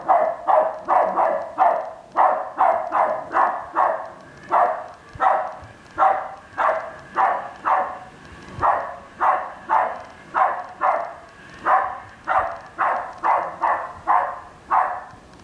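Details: West Highland White Terrier barking steadily at an R2 robot, about two barks per second in a long even series.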